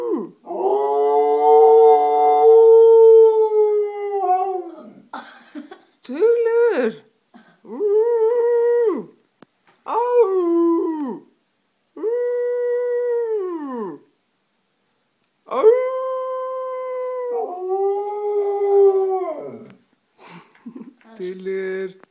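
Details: Siberian Husky and Samoyed mix. A husky–samoyed mix dog howls in long, mournful notes that rise, hold and fall away, each lasting a couple of seconds. Brief yips and grumbles sit between the howls, with short quiet gaps.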